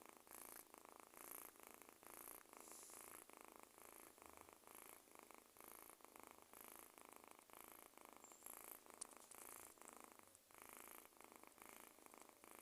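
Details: Kitten purr, a quiet continuous rattling hum that rises and falls with slow breathing in and out, with faint indoor background noise throughout.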